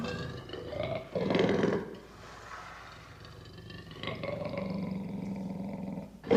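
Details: Lion uttering moderate rough roars and grunts with a deep rumbling quality, a quieter stretch in between, and a sudden loud burst at the very end.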